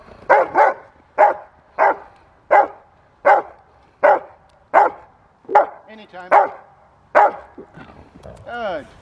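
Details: At a protection training session in October 2023, the retired Rottweiler bitch Carma barks at the helper while he guides a handler on using the bite bar. About ten punchy barks come roughly every 0.7 seconds, some doubled, and a voice speaks at the end.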